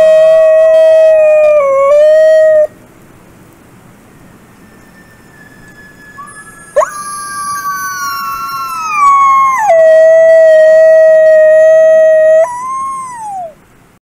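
A wolf howls in long, smooth tones that dip and level off, joined later by a second voice.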